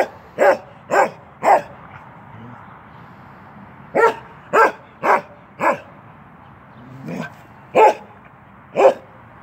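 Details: A 10-month-old male Norwegian Elkhound named Keweenaw barks while playing through a fence, giving sharp single barks in short bursts of three and then scattered pairs, with quiet gaps between them.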